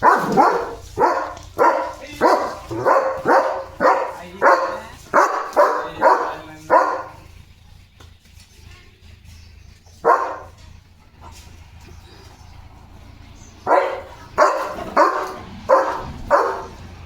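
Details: Guard-dog barking from Leo the German Shepherd at his gate as animals pass outside: a steady run of rhythmic barks, then a quieter stretch with a single bark, before another burst of barks resumes.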